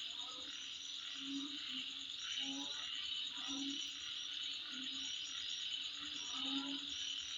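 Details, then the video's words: Midnight insect chorus, a continuous shrill drone layered with fast pulsing chirps, broken by short deep croaking bursts every second or so. "Sound Of Insect At Midnight"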